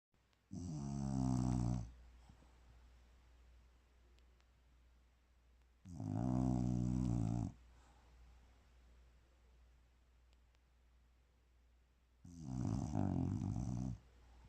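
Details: Bulldog sleeping peacefully, snoring in three loud rasping bursts of about one and a half seconds each, spaced roughly five seconds apart, with a low steady hum between them indoors.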